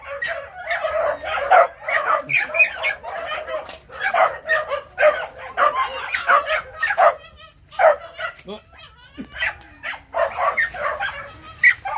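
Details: Young Phu Quoc dogs of three to four months chasing rats at a Saigon kennel in Vietnam, giving bursts of rapid, high yapping barks, a brief lull near the end, a man talking in between.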